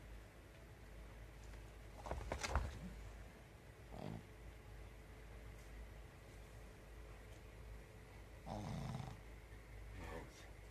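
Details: Pekingese dog snoring in deep sleep on top of its toilet, paws twitching; rough, breathy snorts come at about 2, 4, 8.5 and 10 seconds over a steady low indoor hum.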